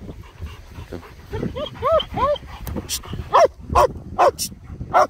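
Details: Two German Shepherds, Nico and Zeeva, playing in Scottish Borders sunshine around Hawick: a run of high, arching yelps and whines, then sharp barks spaced about half a second apart, with faint rustling behind.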